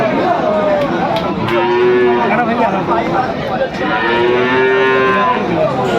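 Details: At a Dinajpur, Bangladesh cattle market selling Friesian and crossbred bull calves, 10 September 2024: two clear steady moos around two and five seconds, with fainter bellows, busy crowd voices and brief music.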